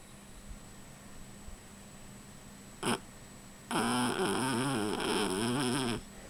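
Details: Sleeping dog Rufus gives a brief sharp snort, then after a pause a longer wavering snore of about two seconds, rough and buzzy with a pulsing, up-and-down rumble, against a quiet indoor background.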